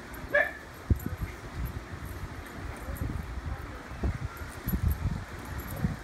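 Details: French Bulldog puppy Austin and Dachshund Stanley wrestling and playing together. A single short, high whining yelp comes near the start, followed by low thumps and scuffling of bodies moving about.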